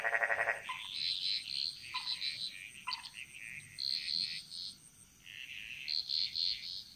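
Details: Frogs chorusing in a Bali jungle, their song echoing: rapid pulsed croaks and repeated high trilling notes overlapping at about four per second, several callers alternating, with a steady high insect hum throughout.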